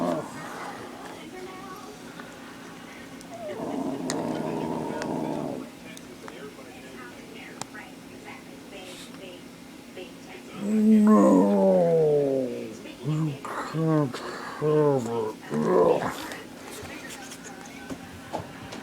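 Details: Ten-week-old Beagle puppy playing fetch, vocalizing over its ball: loud bursts of harmonic, falling whines and yelping growls packed in a quick, uneven series in the second half, with a person talking to it earlier.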